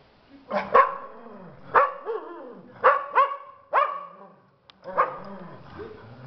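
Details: Domestic dogs of a pack gathering to howl and affirm each one's place: a series of sharp, harmonic yelps and barks, each ending in a short falling howl-like tail, spaced roughly a second apart with quiet gaps.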